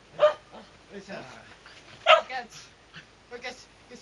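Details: Shetland Sheepdog named Sora, distracted by treats in a pocket, gives short sharp barks, two loud ones about two seconds apart with softer yips between, while a man speaks Japanese commands nearby indoors.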